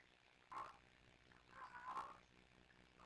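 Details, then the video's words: Two rescue kittens, Sisko and Mila, at the Tiny Kittens Society, caught on a live streaming cam talking to each other: two short, rolling trills near mid pitch, half a second and a second apart, over a quiet room hum. "Tiny Kittens Sisko & Mila trilling and talking to each other"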